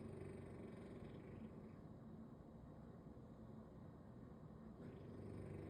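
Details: Snoring bulldog asleep belly-up on a Sunday: a harsh, low rattling breath opens, a quieter pause follows, then another rasping snore begins at the end.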